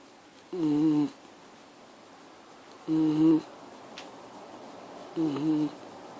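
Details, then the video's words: Miniature Schnauzer snoring in a small room, three buzzy, nasal tones roughly every two and a half seconds, each steady then dipping slightly, separated by quiet inhalation gaps. "Mini schnauzer making noise"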